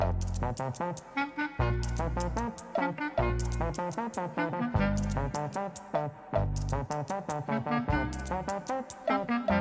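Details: Brassy jazz tune with trombone and trumpet playing punchy repeated phrases over a bass line, no animal voice heard.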